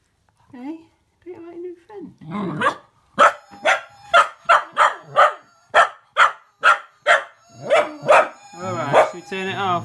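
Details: Female Cocker Spaniel puppy barks in quick, sharp bursts, agitated by a Gizmo toy's warbling electronic whistle heard at the start and end.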